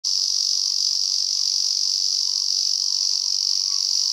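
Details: Male Lyristes japonicus cicada singing on a mountain walk near Kobe, Japan, a species found above about 600 m in cool conifer woods, often perched upside down: a loud, unbroken, buzzing drone, steady throughout, with a faint lower hum.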